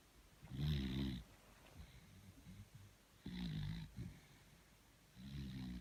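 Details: Tired beagle Thor sleeping indoors, giving three deep, rattling snores about two seconds apart, the middle one weaker, with soft breathy sounds in the gaps.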